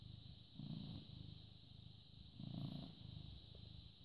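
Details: Purring British Shorthair cat, born 18 August 2010, recorded 14 May 2017 at 09:16. Low buzzing rumble that rises in two louder swells about two seconds apart, over a faint steady high tone.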